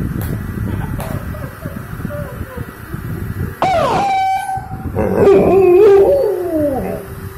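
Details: Reacting to a car siren, a male dog lets out a wavering, mournful howl that rises and dips after a burst of sweeping, horn-like tones, over a constant low background hum.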